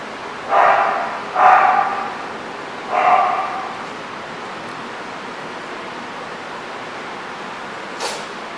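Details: Dog barking at The Barking Lot, RI, on 1-20-14: three sharp, mid-pitched barks come in the first three seconds, two close together and then one more. After that there is steady low background noise and a short click near the end.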